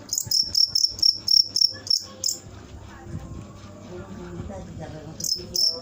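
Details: Cricket chirping rapidly with high, ringing pulses for two seconds, falling silent, then resuming briefly; low murmuring background noise.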